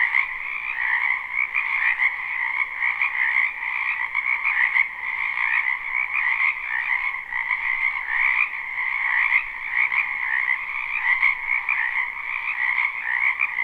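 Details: Spring chorus of numerous frogs in a wetland behind a house, recorded live: dense pulsing croaks blending into an even, two-toned trilling hum with gentle rhythmic surges, nothing else audible.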